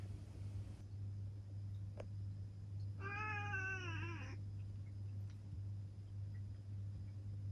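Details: A single wavering meow of just over a second from Ciel, a seven-year-old black female cat, heard over a steady low electrical hum and faint room noise.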